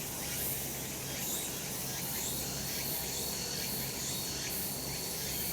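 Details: Cicadas calling on a summer mountain in a sunny spot, a dense, unbroken high buzzing chorus with a steady thin whine running through it and faint short upward sweeps recurring about once a second.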